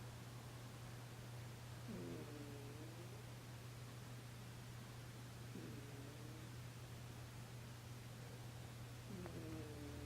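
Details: Sleeping cat snoring at midnight: soft, whistly nasal breaths with a short tonal wheeze, coming roughly every three and a half seconds over a steady low electrical hum and quiet background hiss.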